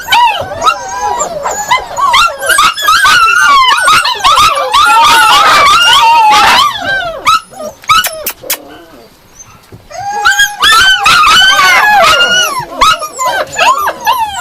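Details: Yakutian Laika yelping excitedly in fast, overlapping high barks and whines, about two and a half per second, pausing briefly midway with a few quiet sounds before resuming just as intensely.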